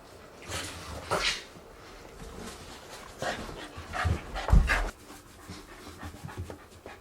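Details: White Shiba Inu panting during a blow-dry indoors: soft, breathy huffs in irregular clusters with quiet gaps between them, with a few louder puffs near the middle.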